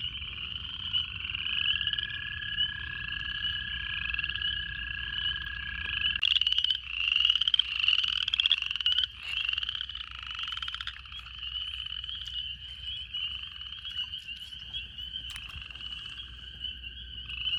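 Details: At a pond in the second week of February, about 70°F and partly cloudy, upland chorus frogs calling from the grass in early-spring breeding give rapid, rising, raspy trills, like a fingernail run along a comb.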